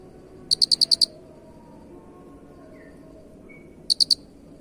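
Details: Cricket chirping, used as a master recording for training songbirds: two bursts of rapid high pulsed chirps, five pulses then three, separated by a quiet gap with faint low background hum.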